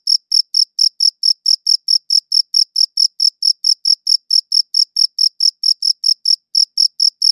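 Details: Steady high chirps from a cricket, evenly repeated about four times a second with a short gap near the close, clean recording without background noise.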